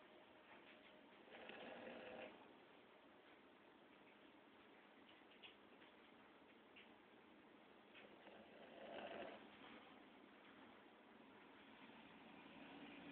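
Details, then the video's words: A male Boston Terrier taking a mid-day nap snores softly, two breathy, rasping snores several seconds apart in a quiet room. "KILO The Boston Terrier - Snoring"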